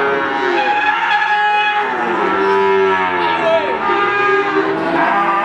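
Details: Several cattle low over one another at the Wagenan cattle market, Pati, Indonesia: long overlapping moos, some rising and falling in arcs, others flat and steady, against constant market bustle.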